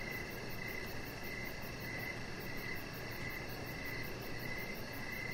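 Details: Crickets outdoors on an evening deck, chirping in short high bursts spaced about every half second, with a thin pulsing trill overhead and a continuous low murmur of background noise.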